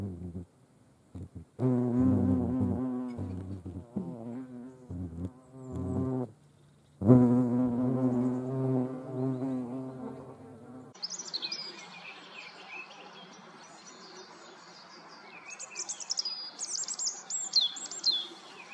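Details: European hornet at an ant-shared feeding place, Dohr, Eifel, Germany, 28 July 2022; choppy low buzzing bursts over the first eleven seconds, then the drone fades and high chirping birdsong fills the remainder.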